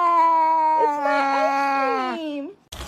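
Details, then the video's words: Cat in a funny-cats compilation giving one long, drawn-out meow of over two seconds. The tone is steady and rich, wavers slightly in the middle, then dips and lifts at the end. A short noisy burst follows. "kitten meowing"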